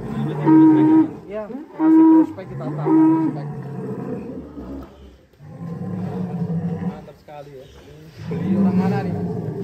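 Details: Large cattle in a pen at a cattle contest give three drawn-out, harmonic moos of about a second each near the start, followed by people talking in Indonesian with background music.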